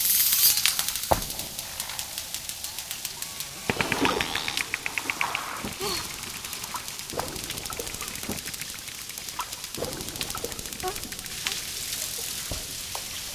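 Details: Dolphin underwater, with rapid click trains, a buzzing pulsed burst around the fourth second, and scattered short faint whistles among steady background hiss.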